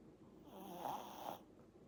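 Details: Eight-month-old Pomeranian asleep indoors, giving one raspy, breathy snore lasting about a second, rising and fading, in a quiet room.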